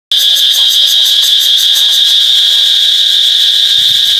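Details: Cicada recorded on an iPhone 8: a loud, continuous high-pitched buzz with a steady pulsing shimmer, starting abruptly and droning without pause.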